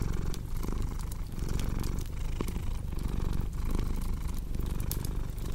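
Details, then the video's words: Domestic cat purring with a cozy fireplace crackling, a low continuous vibrating rumble that rises and falls with each breath, scattered bright pops from the fire above. "Purring Cat with Cozy Crackling Fireplace Sound"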